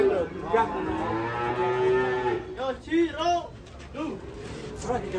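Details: Cattle on the rampage after coming off a truck into a ditch: one long, low, droning moo of over two seconds, then short shouted human exclamations and chatter from onlookers.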